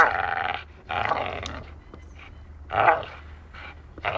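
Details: A dachshund at play, biting, gives loud, throaty growls in three main bursts, the last one rising, with softer grumbles between them.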